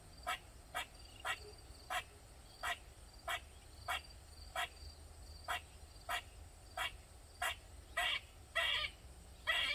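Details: Backyard squirrel in Maryland keeping up loud calls for over 45 minutes: sharp clipped chips repeated about every half second, ending in several longer harsh buzzes.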